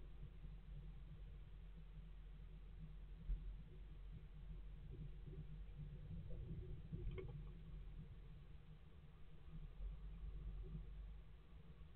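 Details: Only a steady low rumble with a few soft knocks is heard, and no animal calls stand out.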